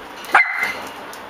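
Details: A single high, sharp puppy yip with a short whining tail, given by puppies that found a cockroach, against steady low background hiss.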